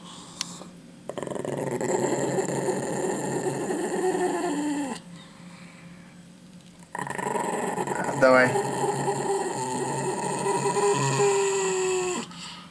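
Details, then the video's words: Dog growling while refusing to give back a chicken bone, indoors; two long sustained rumbling growls of several seconds each with a quiet gap between, a short sharp yelp-like note in the second, a person's voice nearby. "Собака не хочет отдавать косточку - The dog won't give back a chicken bone"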